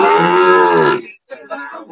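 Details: Sahiwal bull calf at a cattle market in Chittagong, Bangladesh, on 22 May 2025: one steady, even-pitched moo lasting about a second, then a short pause and a few soft murmuring voices of people nearby.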